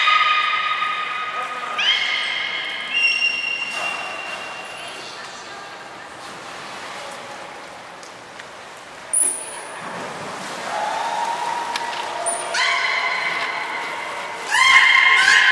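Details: Training of the belugas Nana and Niko at Port of Nagoya Public Aquarium on 7 October 2018. Sustained buzzy-harmonic tones shift pitch in steps, fade into a quieter stretch, then return with short high squeaks and renewed rising notes.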